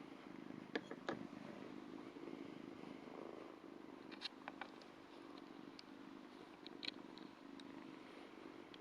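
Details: Ragdoll kitten, around two months old, purring as it licks a hand; a soft, low rolling purr continues under frequent small clicks and wet licking sounds.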